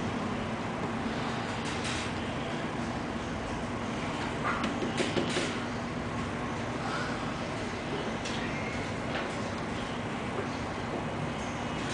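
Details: Constant broadband room noise with a few sliding knocks and faint distant voices.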